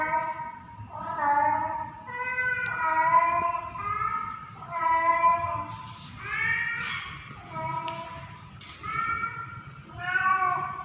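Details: In heat and calling for a male, the female cat Pretty gives a steady series of rich, drawn-out meows roughly every second, some bending downward, with faint hissing noise between calls.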